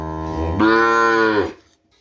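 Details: Madura kerapan racing-cattle breeding stock from Sapudi Island: a long, deep, rich moo swelling louder after a low start, held about a second, then cut off, leaving near silence.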